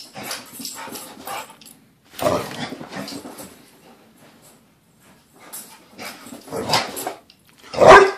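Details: Luna, a pit bull, celebrating getting home after a weekend away: bursts of excited vocalising, mostly whining and yelping sounds, ending in one loud sharp bark.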